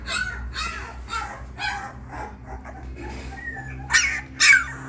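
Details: Three 20-day-old female pure-bred Labrador Retriever puppies give short high yips and whimpers, a quick run of bursts early on, then two louder sharp yelps near the end, over a steady low hum.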